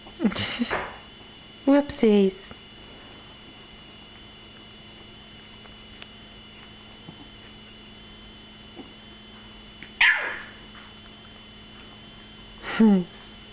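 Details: Two-week-old puppies of Stella, most with eyes newly open and learning to walk, give four short whimpers, each a sharp downward-sliding cry, with long quiet gaps between them over a steady indoor hum.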